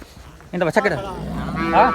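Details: Cattle on a farm in Pakistan selling Girolando and Jersey cows: a short lowing moo with stacked harmonics begins midway and is followed by a higher, brighter drawn-out call, with faint background murmur.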